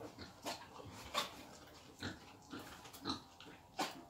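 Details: Wild boar being taken for breeding, giving short, harsh, broadband grunts in an irregular series, about six bursts over four seconds, with a low background rumble.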